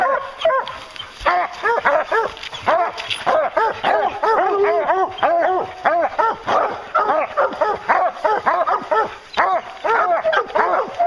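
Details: Several hounds on a bear's trail give continuous, rapid baying, arched ringing barks stacked in quick succession from multiple dogs, the pack pausing only briefly between bursts.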